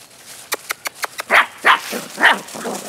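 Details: Rescue puppies recorded on 12 November: a quick run of sharp, clicking taps gives way to three loud, high yelping barks, then softer whiny yips trailing off at the end.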